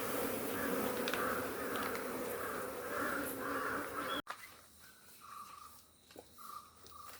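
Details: Honeybee colony buzzing loudly as beekeepers harvest honey on a Kerala farm in the rainy season; a thick, even drone with brief repeated higher notes, then an abrupt cut to a quieter scene with faint tonal chirps.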